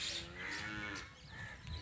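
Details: Nili-Ravi buffalo offered for sale in Punjab, Pakistan, giving a short harmonic moo that fades after about a second, with background music and voices.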